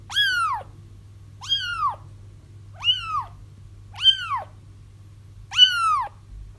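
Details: Crying kittens, played to draw a feral mother cat into a trap; five shrill, downward-curving mews repeated roughly every second and a quarter, evenly loud, with a soft background hum.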